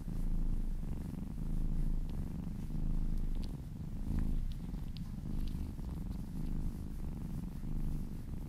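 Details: Happy cat purring as it is massaged: a deep, buzzing, rhythmic purr rising and falling with each breath roughly every second and a half, with small clicks and rustles from handling.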